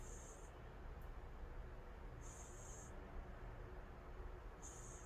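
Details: Sound asleep, the calico cat Angttu snores with thin, hissy whistles that come roughly every two seconds against a constant low background drone.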